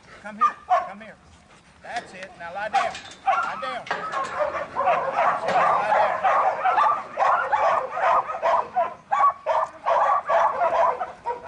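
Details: Buttons, a young male Border Collie in training and a futurity prospect for 2012, sired by Brett out of Babie. Harsh, rapid barks pour out in dense bursts, mixed with a handler's repeated calls of 'come here' and 'get her'.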